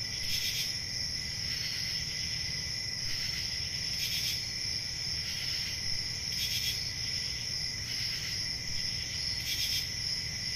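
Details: A summer night in the country filled with cricket song: constant shrill trilling at two pitches, overlaid by repeated bright chirp bursts spaced about one to two seconds apart, with gentle low-frequency background noise.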